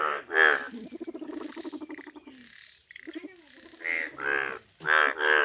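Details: Bright yellow Indian bullfrog in a village, giving loud, harsh, nasal croaks in quick bursts near the end, after an earlier stretch of lower, rattling, pulsed calling broken by a brief pause.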